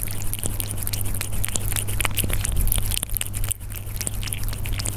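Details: Persian cats eating, recorded up close: quick crunching clicks and bites, many per second, loudest in the first half and quieter after a brief gap, over a steady low electrical hum.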